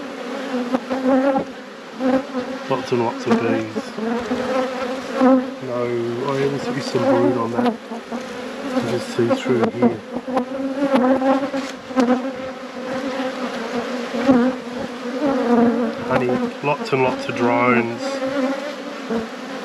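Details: Honey bees at a managed apiary during a hive inspection, colonies at peak production. A dense, steady hum with strong low harmonics runs throughout, swelling and wavering in pitch, with brief deeper droning bursts.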